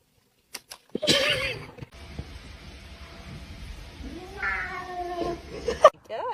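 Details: Domestic cat 'talking': a short yowling meow near the start, then a long, drawn-out wavering meow that rises and falls, over a steady hiss of room noise with a brief clatter near the end.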